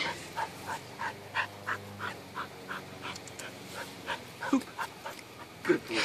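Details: Border Collie that has just learned to jump through a hoop, heard panting in quick, even breaths several times a second, with two louder sharp sounds near the end over a low steady hum.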